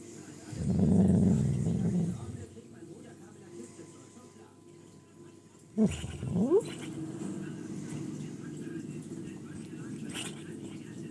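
A sleeping Podenco lets out a low, drawn-out groan, then a quick sweeping whine.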